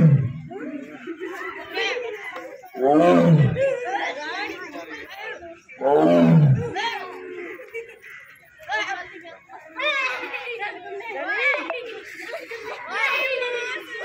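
A tiger gives three deep, rumbling roars, each falling in pitch, about three seconds apart.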